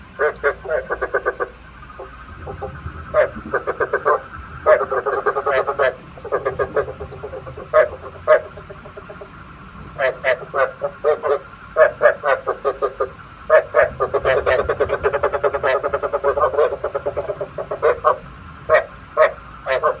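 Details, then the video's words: Frog croaks recorded as bait sound for night frog traps: many short, throaty pulsed bursts come in clusters, some runs dense and rattling, with brief pauses between, and a faint steady tone behind. "Tiếng ếch mồi chuẩn 99,99% cho ae bẫy đêm tham khảo"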